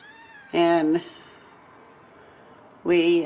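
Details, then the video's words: Ragdoll kittens from a home cattery in central Kansas, raised without cages: two loud, drawn-out kitten meows about two seconds apart, each with a steady harmonic tone, with quiet room background between them. "Steward Ragdoll Kittens"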